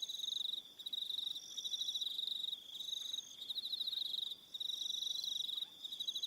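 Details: High, buzzy cricket chirping at dusk on New Zealand's Aroha Island, pulse trains running almost unbroken with two brief lulls and a thinner higher trill layered on top.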